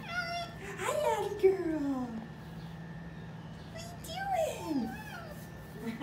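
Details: Zoo-kept red fox, one of a rescued pair unable to return to the wild, producing two drawn-out descending whining calls about three seconds apart over a steady low hum, with soft human voices.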